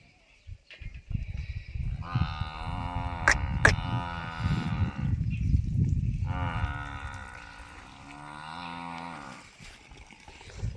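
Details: Cow at a dairy farm in Dhanera, offered for sale: two long, harmonic moos of about three seconds each, separated by a short pause, over low rumbling farm noise and a few sharp clicks.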